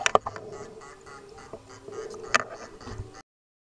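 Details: Subadult humpback whale cruising past in blue water off Maui, Hawaii, recorded on a snorkel; a sustained low tonal moan with stacked harmonics runs throughout, broken by sharp clicks and snapping bursts, before cutting to silence.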